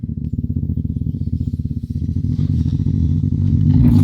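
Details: Eurasian lynx producing a loud, low rattling rumble, pulsing quickly about four times a second and growing steadier and louder toward the close, with a faint hiss at the very end.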